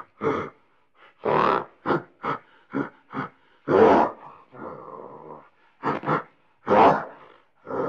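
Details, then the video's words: Gorilla giving repeated deep, rasping grunts of varying length, some in quick pairs, with a longer drawn-out hoarse sound midway, irregularly spaced with silent gaps "Sound of gorilla grunting"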